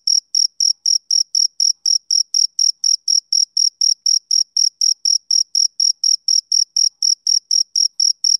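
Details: Male cricket song of evenly spaced, high, piercing chirps at about four per second, unchanging in pitch and loudness, with no other sounds.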